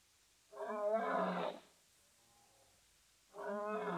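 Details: Two male lions at Safarihoek Lodge, on the arid savannah of northern Namibia bordering Etosha National Park, vocalising while scent marking. Two loud, harmonic, moaning roar notes about a second long are separated by a quieter groan, with faint hiss behind.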